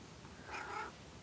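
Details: Pet cat perched on the ladder to the attic, answering its owner: a drawn-out two-part meow that wavers up and down, voice-like in tone, in a quiet small room.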